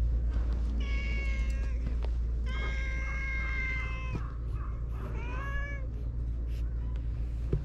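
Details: Stray cats on a cat island, filmed with a GoPro: three drawn-out meows, the first two level and sustained, the last rising then falling, against a steady low engine-like hum.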